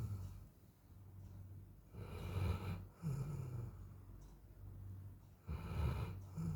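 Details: Golden Retriever asleep and exhausted from the heat, giving heavy snoring breaths: low rough snorts in two or three long swells, each rasping and fading over a low background hum.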